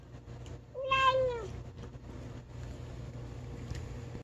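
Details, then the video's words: Skinny rescue cat calling while eating food: one clear harmonic meow, rising then falling, lasting about half a second, over a steady low hum and faint clicks. "Cat Making Funny Noises Eating"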